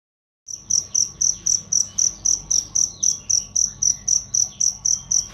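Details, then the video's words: Cricket recorded as a loud, clear training sound for songbirds: high, sharp chirps pulsing steadily about four times a second after a brief silence at the start, over a faint low background hum. "masteran jangkrik untuk burung"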